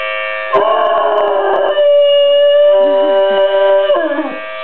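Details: A Weimaraner howls along with the monthly first-Wednesday siren, its voice wavering and sliding beneath the siren's steady tone.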